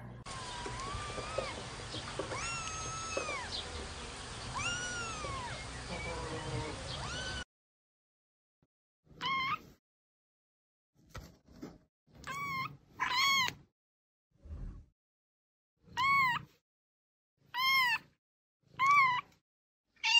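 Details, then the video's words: Kitten meowing, offered as a sound to attract a cat: after a noisy opening passage holding faint arched cries, a run of about eight clear, rising-then-falling meows comes at uneven gaps of one to two seconds. "Chaton qui miaule 😍 Miaulement de Chaton pour Attirer un Chat"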